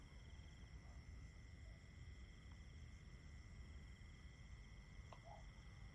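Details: Crickets calling in a steady nighttime chorus of unbroken high trills, several pitched layers held constant throughout, over a low rumbling background with a few faint brief chirps from another caller.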